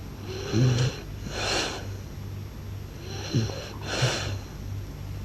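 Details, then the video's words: Sleeping blue French Bulldog with rhythmic snoring: airy, wheezy breaths about every two and a half seconds, each with a brief low rattling snort, against a constant faint hum indoors. "หมากรนลั่นสะท้านบ้าน/French Blue Dog Snores Loud"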